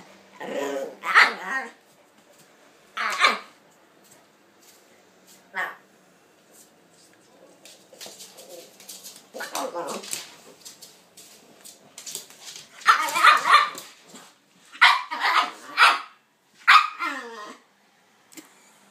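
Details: Kaiser and Viki, a pitbull and a King Charles spaniel, at play: scattered barks spread through the recording, clustering into a quick run of loud barks near the end, with human voices mixed in.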